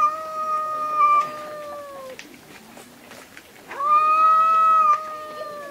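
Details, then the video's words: Fighting cats screaming: two long, drawn-out harmonic yowls, each held about two seconds with a slight wavering pitch, separated by a quieter low growling gap. "Cats Fight & Screeming"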